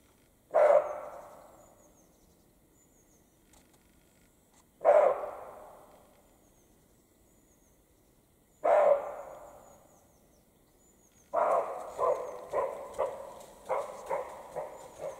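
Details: Roe deer, male and female, in the Carpathian mountains in spring mating season: three well-spaced hoarse barks roughly four seconds apart, then a quicker run of shorter barks at the end; faint high bird notes in the background.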